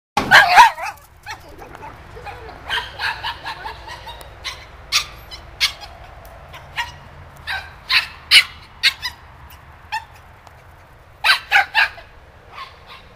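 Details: Hyper puppy playing outside with snow still on the ground, barking loudly in sharp, high yips and barks, often in quick pairs or triplets, repeated through the recording with brief quiet gaps between bursts.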